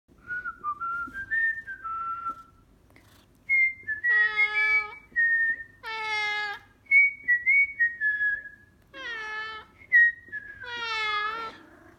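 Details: Maine Coon cat named Sir Lancelot, which hates whistling, answering a person's whistled notes with loud drawn-out meows; clear whistles alternate with harmonic-rich cat cries, several exchanges over twelve seconds.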